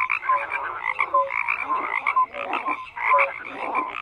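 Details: Crowded frog chorus, rough croaks in quick bursts mixed with short pure whistles, the din dipping briefly a few times before surging back.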